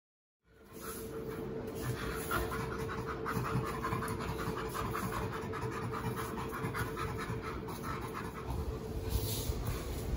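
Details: Rescued chimpanzees Burrito and Jamie laughing during a long play session: soft, breathy panting pulses in quick, uneven succession, roughly three to four per second, over a steady low hum and faint background rustling.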